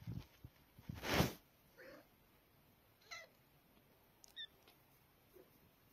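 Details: Kitten from a street mother cat's litter gives a few soft, short meows, thin and rising, spaced about a second apart over quiet background, with a louder bump of handling noise near the start.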